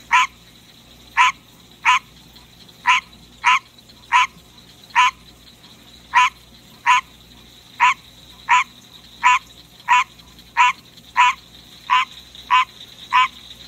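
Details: Captive green tree frog singing at night: a long run of sharp, nasal honks, steady at roughly one and a half per second, each a brief broadband quack, with a constant faint background hum.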